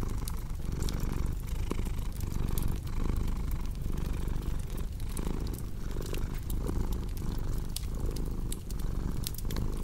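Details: Continuous low cat purr, pulsing in breath-length cycles of about a second. Frequent snapping fireplace crackles sit on top, and the purr stays the dominant sound throughout.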